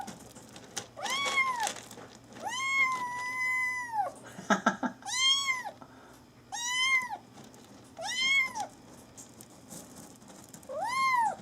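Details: A kitten meows repeatedly indoors, six loud arched meows about a second long, one held longer and flatter, with a brief rustle in between.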